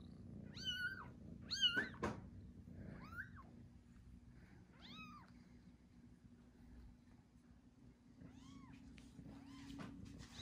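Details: Tiny newborn kittens crying with short, high, wavering mews, several bunched early then scattered fainter ones later, over a soft low background hum.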